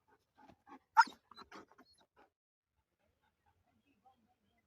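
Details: During a morning walk, Moti the German Shepherd gives a short run of clipped vocal bursts, one sharp loud yelp-like bark near the middle, then quiet.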